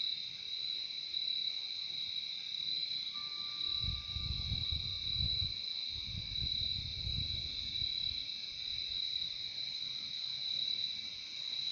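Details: Crickets trilling steadily in a nature recording, the high chorus unbroken, with a brief faint whistle-like tone and muffled low rumbling in the middle.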